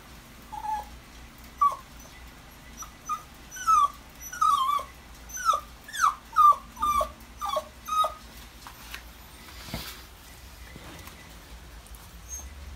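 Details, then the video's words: Maltese dog whimpering while left with someone else as its owners go out shopping; a run of about a dozen short, high, whiny squeaks with rising-falling inflection, roughly one per second, then a quiet stretch with a soft rustle. "콩이가 찡찡찡 거리는 이유는?"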